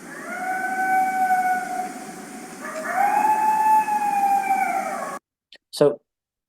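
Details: Coyote howling: a flat sustained first note, a brief break, then a second longer note that rises slightly and holds before fading, with a couple of faint clicks after it stops.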